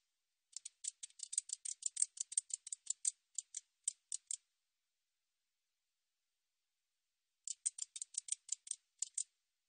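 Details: A katydid, recorded in 2020, calls with a dry, high-pitched series of rapid ticks, like snipping scissors.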